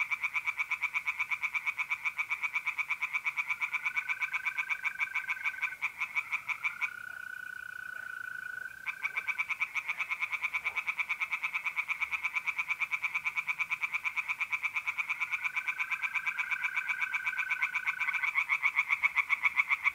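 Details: Several tree frogs call from a pond by night in mid-April, north-east Italy, a rapid machine-like stream of rasping pulses that stops for about two seconds midway, while mole crickets trill in long even tones.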